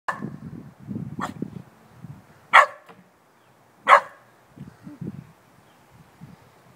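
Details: Young puppy a few months old barking at an ominous-looking bucket, among her first barks: two sharp, high barks about a second apart, with soft low shuffling and movement noise before and after.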